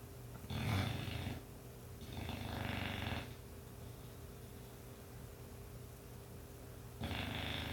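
An English bulldog snores heavily, with coarse, rattling breaths that rumble low and then fade. The bursts come in an uneven rhythm, with a quiet steady hum in the background.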